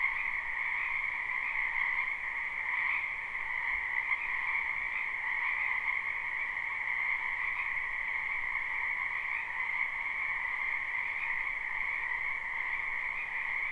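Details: Live, unlooped recording of many frogs in a springtime wetland behind a home: a steady, dense chorus of shrill overlapping trills forming a constant droning buzz, with faint shifts in intensity and no other sounds.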